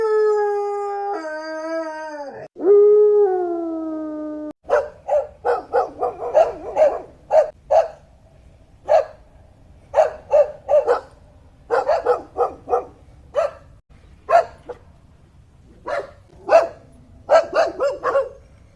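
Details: Domestic dog giving a short falling howl for a few seconds, then switching to a run of sharp barks repeated roughly twice a second, some in quick doubles, with quiet gaps between bursts.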